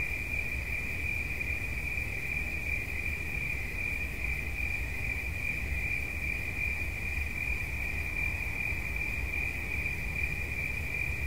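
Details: Relaxing cricket sound: a sustained, shrill, evenly pulsed trill at a fixed high pitch runs throughout, with a soft low-frequency drone underneath.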